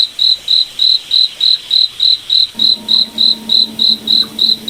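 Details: High, clean cricket chirps repeated evenly about three times a second in a nighttime forest, with a quiet low hum joining in the second half.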